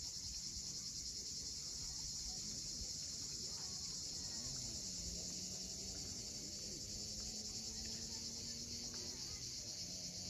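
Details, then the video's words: On the steep shore of Cape Fiolent, Crimea, cicadas call at sunset in a constant bright, hissing buzz. A faint low steady hum and soft gliding tones lie beneath it. "Cicadas at sunset."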